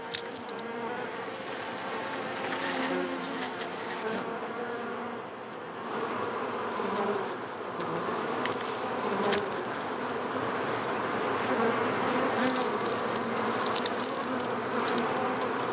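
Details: A busy honey bee hum, a thick steady drone of many overlapping wingbeat tones with scattered ticking, growing slightly louder toward the end.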